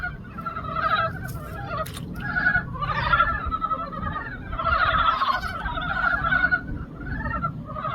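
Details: Frogs chorusing together in a pond in spring: dense, overlapping rattling croaks from many callers, rising and falling in waves over a low rumbling background.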